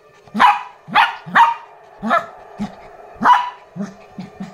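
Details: Lhasa Apso puppy excited by a new toy, giving high sharp barks in uneven pairs and singles, mixed with shorter, softer yips between the louder calls.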